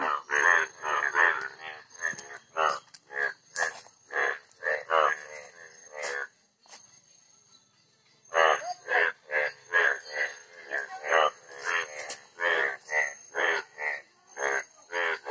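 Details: Asian common toad calling, a run of short, rough croaking pulses repeated roughly two to three times per second, stopping briefly around seven to eight seconds before resuming, over a faint steady high whine.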